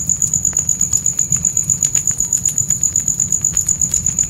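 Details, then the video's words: A nighttime forest cricket chorus near a campfire, high and evenly pulsed at roughly four chirps per second, with frequent sharp snaps of burning wood and a deep steady fire hum underneath. "Fire & Crickets Night Ambience"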